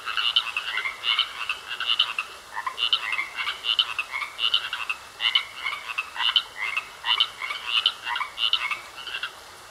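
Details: A pond of croaking frogs, rasping calls in fairly regular bursts close to once a second over nearly ten seconds, several animals overlapping above a quiet hiss.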